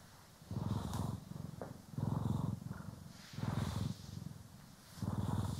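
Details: Purring from pet cats Poki and Kiwi during grooming and brushing, stereo recording: four deep, even purr phrases, each lasting about a second, separated by brief quieter pauses, with faint brushing rustles above.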